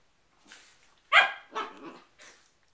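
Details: Restless poodles with cabin fever: a soft yip, then one loud sharp bark and a quick second bark, ending with a quieter high yelp, bright and harsh in tone.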